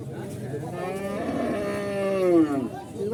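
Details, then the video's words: Cattle at Horgoj livestock market in 2025, frightened and jumpy in the new surroundings among crowds: one long, loud bellowing moo with rich harmonics, rising and then falling near the end, with crowd noise behind. "দুষ্টু গরু"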